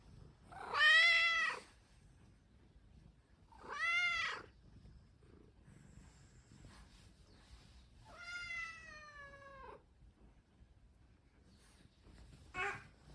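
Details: A Ragamuffin cat moving around early in the morning alongside a baby gives loud, arching meows every few seconds, both making noise to wake the family.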